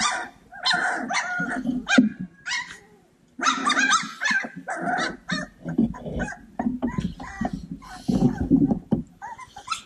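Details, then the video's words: Cane Corso puppies playing together, a bunch of young dogs giving quick broadband yips and short barks in dense overlapping bursts, with brief pauses and faint background music. "Bunch of Yipping Puppies!"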